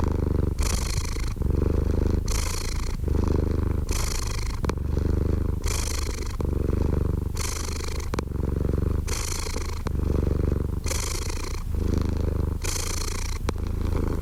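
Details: Steady purring of a cat heard close: pulsed low rumble alternating with breathy, higher-pitched phases about every one and a half to two seconds, with a few soft clicks and nothing else.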